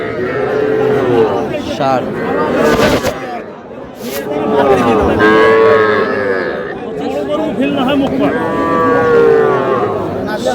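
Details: Young bulls and heifer calves at a busy cattle market in Dhaka, Bangladesh, on 31 March; drawn-out moos rise and fall amid constant crowd chatter and bargaining voices.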